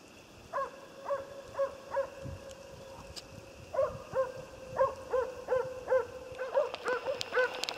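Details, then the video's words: Jämthund Otis barking on a moose hunt, with resonant barks delivered in steady runs of several, then a brief pause and another quickening series, set against a faint continuous hum. "Älgjakt med jämthund"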